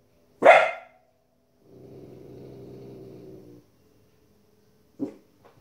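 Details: A 15-week-old female Border Collie puppy reacting to wolves and other animals shown on TV gives one loud, sharp bark, followed by the programme's low narration and background sound, then a short, quieter bark near the end.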